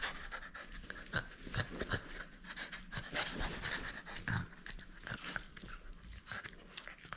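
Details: French Bulldog at play, refusing to give up its toy: rapid, noisy panting and snuffling breaths in a steady rough rhythm, with soft bumps of movement throughout.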